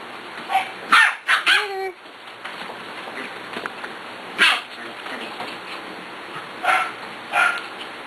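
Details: Six-week-old puppies playing, giving short yipping barks, a quick cluster around the first two seconds and scattered single yaps later, while a person talks to them over a steady background hiss.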